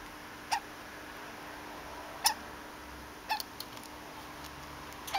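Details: A pet degu called Conan, usually nearly silent, lets out hiccup-like 'kyu kyu' squeaks after bolting and getting a snack; four crisp, chirpy squeaks come at uneven intervals of about one to two seconds in a quiet room.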